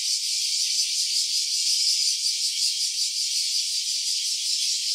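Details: A cicada's voice in stereo: an unbroken, hissing, rattling drone concentrated in the high register, with a rapid shimmering pulse and even volume from start to finish.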